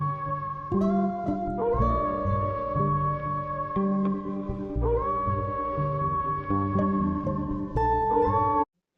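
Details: Only music is heard: sustained, sliding tonal notes like a slide guitar over a steady bass. No animal voice can be picked out.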